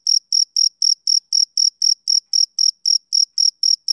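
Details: Summer-evening chirping of a male cricket: sixteen crisp, high, whistle-like pulses in a regular beat of about four per second, nothing else audible.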